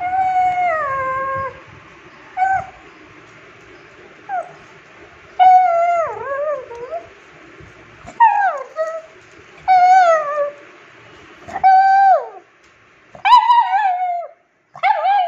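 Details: Ju, a 9-year-old rescued female pug who follows people around and demands attention, gives a series of wavering, yodel-like whines and howls, rising and falling in pitch, repeated in bursts with short pauses between them.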